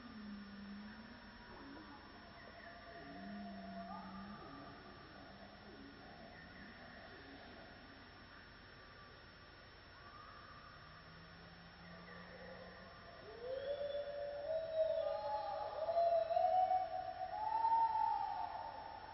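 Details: On a misty morning in the Borneo rainforest, a gibbon gives loud, rising whoops that climb and quicken into a ringing series, with other creatures calling around it.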